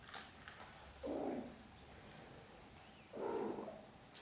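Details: Choco the kitten, who swiftly claimed a new basket for a cozy nap while his siblings played nearby. Two short, mid-pitched meows, about two seconds apart, sound indoors over a quiet background.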